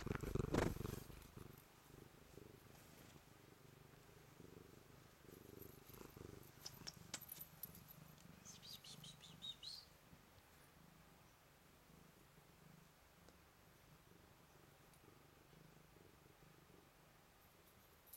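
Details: Blue-eyed white Manx cat purring while greeting, a low steady rumbling purr pulsing rapidly through the clip, with a brief burst of handling noise at the start and a soft high chirp midway; quiet indoor room.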